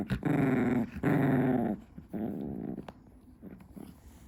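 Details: Female Chihuahua chewing her favourite stick at 2 AM indoors. Two loud, rasping growls, each under a second, then a longer softer rumble and a few fading grumbles.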